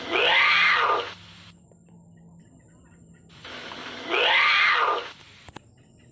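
A lynx gives two loud, harsh yowls that rise and fall, separated by a few seconds of quiet.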